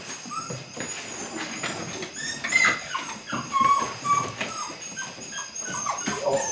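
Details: Belgian Malinois puppy, eight weeks old, beginning bite work: several brief thin whimpers, some sliding upward, against constant rustling and a faint steady high tone.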